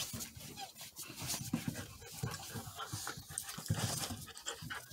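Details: Play-fighting Border Collie puppies going for each other's faces: quick panting huffs and gruff little growls pulse almost continuously over a busy scrabble of paws and bodies.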